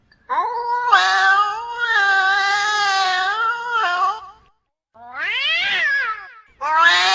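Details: Domestic cat in heat with a prolonged wavering yowl lasting about four seconds, followed after a short pause by an arched rising-falling cry and the start of another wail.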